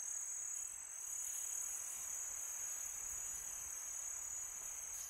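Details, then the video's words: On a calm summer night, crickets produce a sustained, very high, ringing trill, with a whispering wind beneath it. "Crickets sound"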